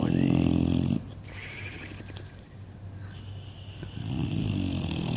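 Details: English Bulldog asleep and dreaming, giving one loud low rumbling snore with flapping lips in the first second, then quieter breathing before another snore begins near the end.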